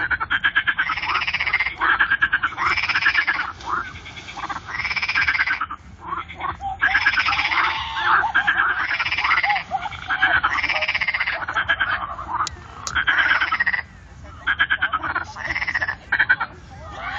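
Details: Frogs calling in concert at the Fasaneriesee lake, a dense continuous chorus of rattling, pulsed croaks rising in waves every couple of seconds, with a short lull near the end.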